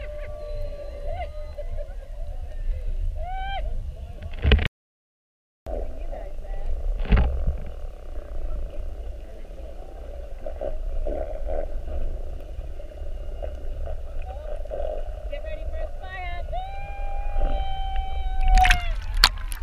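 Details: Whales spy-hopping around a whale-watch boat during a mugging, recorded underwater on the 7:30 trip, 21 February 2019: rising harmonic whistles and a long steady moan, with a short silent gap and low boat rumble throughout.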